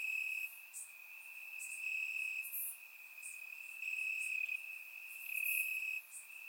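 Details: Warm summer night in Bulgaria, crickets calling from the grass: one unbroken shrill tone rings on, loudness rising and dipping every second or so, with scattered higher insect buzzes layered above.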